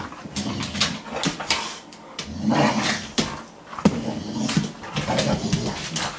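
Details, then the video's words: Two pet dogs, a Boxer and a Morkie, play fighting indoors in a small room; scuffling growls and whimpers come in bursts with thumps and rustling of bodies moving about. "Dog Fight! Boxer vs. Morkie!!"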